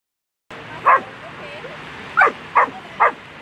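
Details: German Shepherd Queen v Lesimo at an agility world championship, A3 Sunday run, first place: four short, sharp barks, one alone then three in quick succession, over steady crowd and arena background noise.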